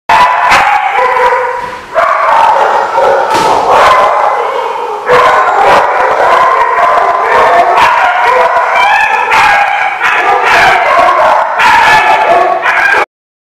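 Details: Dogs barking continuously at a lot recorded on 4/17/15; loud overlapping barks, yips and howl-like cries from several dogs, with little pause across the whole stretch and a brief dip near two seconds.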